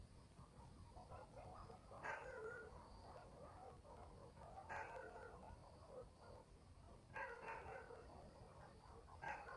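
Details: Night in a country village: far-off dogs barking in repeated bouts roughly every two to three seconds, each a cluster of hoarse barks, against a low background rumble and a faint high hum.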